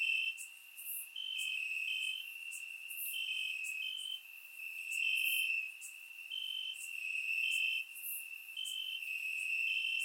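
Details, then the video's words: Warm summer night in Bulgaria with crickets chirping in the grass, recorded in surround sound; overlapping shrill trills switch on and off in short bursts, a steady chorus with faint high sizzling notes. "Cricket Sounds - Crickets Chirping at Night"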